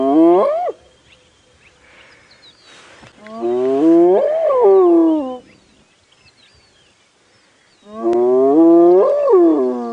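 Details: At sunrise, about 6:30 AM on 5 June 2017, on a drive at Djuma Game Reserve, a spotted hyena gives drawn-out, rising-then-falling contact hoots about every four seconds, answering a distant hyena whooping back towards the mountain.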